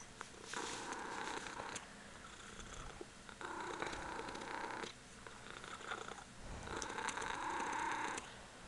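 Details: Close purring from Punkin, a Ragdoll kitten showing affection to her owner indoors. Raspy buzzing bursts alternate with quieter pauses every second or two, each burst lasting over a second.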